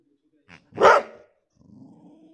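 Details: Boxer dog reacting to his new pig toy indoors: a faint short sound, then one sharp loud bark, followed by a low drawn-out whine.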